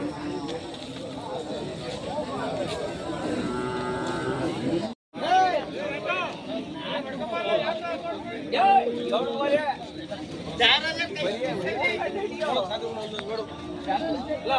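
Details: Hallikar cattle at the K G Temple cattle market, held every Monday in Gubbi taluk, Tumkur district, Karnataka; drawn-out harmonic moos rise over steady crowd chatter and bargaining voices, with brief music.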